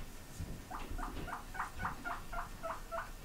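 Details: Pigs kept in a house squeak in reply when asked whether they want grass: about nine short, bright squeaks in quick, slightly uneven succession, each with a brief rising-falling pitch, over low indoor rumble.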